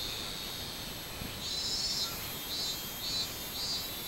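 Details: Robust cicada heard 24 July 2016: after a moment of faint hiss, high buzzy pulses begin, rising and falling roughly every half second in a regular min-min rhythm.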